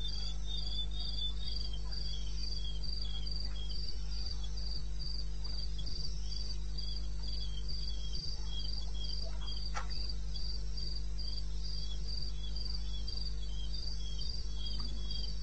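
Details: Crickets in wild country in eastern Botswana, recorded 02:30 on 21 May 16. A long, unbroken run of piercing, evenly spaced chirps, with a lower companion singer, sits above a steady low drone. One brief click sounds midway.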